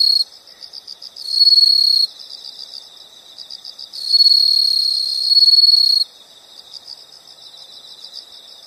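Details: Insects calling in a nature soundscape: a steady high-pitched pulsed chirping throughout, broken by two loud continuous buzzing trills of about one and two seconds from a nearer caller.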